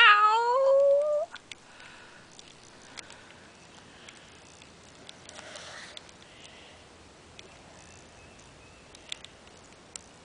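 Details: Black domestic cat, which had killed a squirrel and was playing with it, gives one loud, drawn-out harmonic yowl that rises and then holds steady for just over a second. Near silence follows, with faint scattered clicks and taps indoors.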